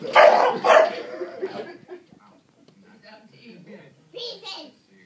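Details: Three-year-old English Bulldog barking at the TV indoors; two loud, rough barks in the first second, then quieter muffled sounds, a man's voice, and a final higher yelp.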